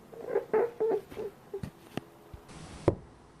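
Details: A rabbit gives short, nasal grunting bursts in quick succession, labelled as honking and angry, followed by soft thumps and clicks.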